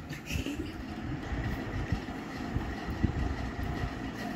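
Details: Steady rumbling traffic or train noise with no animal voice audible.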